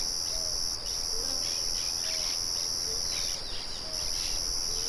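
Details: Nature recording of crickets and birds beside a mill. A piercing, even insect trill dominates and pauses once briefly. Short low whistled bird notes repeat about every second over a steady rushing background murmur.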